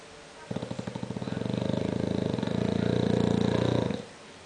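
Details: Conrad the English bulldog, fast asleep, gives a loud snore: about three and a half seconds of rapid, buzzing vibration that builds gradually in strength before cutting off into silence.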